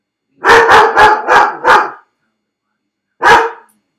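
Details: Felix, a dog confined to his crate while home alone, lets out a run of five loud rough barks roughly every quarter second, a pause, then one final bark.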